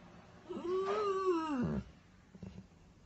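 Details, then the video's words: Weimaraner dog crying: one drawn-out tonal whine of about a second, rising slightly then sliding down and breaking off at the end, followed by faint soft noises. "Weimaraner crying"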